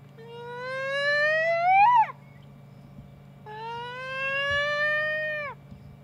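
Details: Little hyena calling twice: a first whoop rising to a sharp peak and quick drop, then a second flatter, longer note tailing off downward, both harmonic-rich, with a low steady hum behind.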